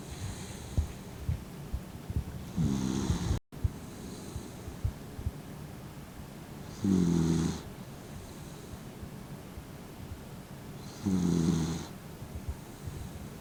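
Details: Aged, blind dog Mint, fifteen years old, sleeping half-eyed, lets out three deep, rattling snores spaced about four seconds apart, with faint soft breaths and a brief cut in sound between them.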